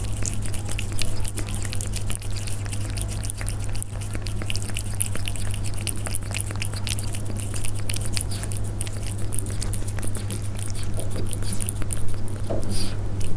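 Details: Persian cats feeding, heard up close as a long patter of crunching and clicking chews that keeps going throughout, with a persistent low humming background.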